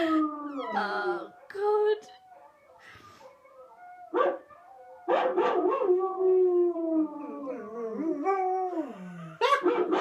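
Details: ['Watching a dog howl on TV, a white German Shepherd gives broken, sliding howls and short whines, interrupted by pauses and sharp broadband bursts, with television sound including speech mixed in.']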